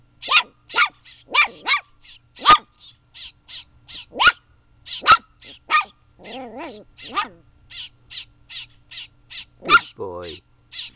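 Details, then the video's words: Bouncer, a young Chihuahua, facing an abandoned baby bird; a rapid run of sharp, high barks repeats through the clip, mixed with lower wavering growl-like sounds and a few harsher yelps near the end. "Bouncer the Chihuahua vs baby bird"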